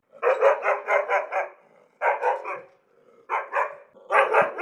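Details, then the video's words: Angry dog barking in rapid bursts: four volleys of quick, harsh barks, about five or six per burst at first, separated by short pauses with faint whining between them. "angry dog barking, tiếng chó sủa giận dữ"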